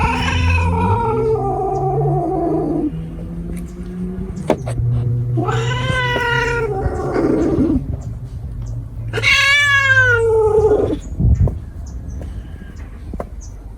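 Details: Cat yowls repeatedly: a descending wail, a rising strained cry, then a loud rising-falling howl, separated by pauses, with a continuous low droning hum underneath.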